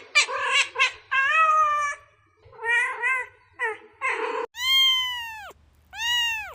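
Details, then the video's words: Kittens meowing in a quiet room: a string of short, overlapping, uneven mews, some wavering and some clipped, then two long, clear, high meows that rise and fall in an arch. "Kittens meowing"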